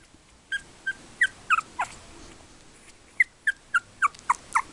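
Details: Three-week-old Yorkshire Terrier puppies from the litter of Tinker and Louie, born 24 October 2014: a series of short, high, squeaky whimpers and yips, each sliding downward, in two bursts with a quiet gap between them.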